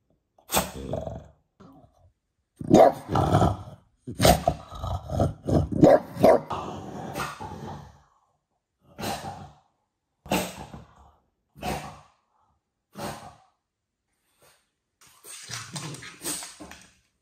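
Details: French Bulldog defending his house from uninvited guests: harsh, raspy barks in short bursts, a longer rough run of barking between three and eight seconds, then single spaced barks, ending with a growly volley.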